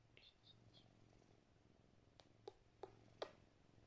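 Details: Domestic cat purring while held and petted, kissing its owner's face; a soft, steady low rumble runs throughout, with a few sharp kiss-like clicks and smacks near the end indoors.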